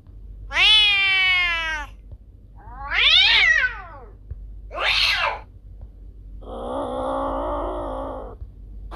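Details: Domestic cat calling, presented as a sound to scare away rats: a long harmonic meow falling in pitch, then two shorter rising-falling cries and a steady, flat, nasal yowl, in a quiet setting.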